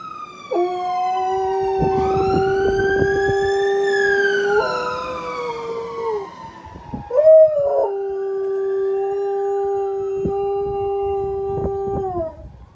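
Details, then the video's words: An Alaskan Malamute in the United Kingdom howls in long, steady tones along with a wailing fire truck siren. "Alaskan Malamute Howling at Fire Truck Siren"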